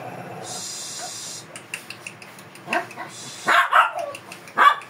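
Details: Fierce Shih Tzu being groomed in Pangasinan lets out a few sharp, short barks in the second half, irregular and rising in loudness, after a steady hissing mechanical noise early on.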